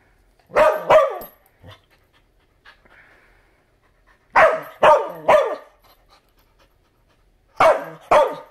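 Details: Barking from Bumba the dog: an opening pair of sharp barks, a quiet gap with faint sounds, then a run of three barks and a final pair, all loud and abrupt.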